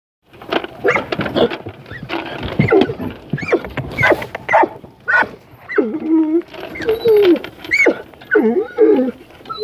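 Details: Puppies with white paws and black muzzles, met in passing during exercise, give short rising whines and yips in quick irregular bursts, some sliding up and down in pitch, with human voices mixed in.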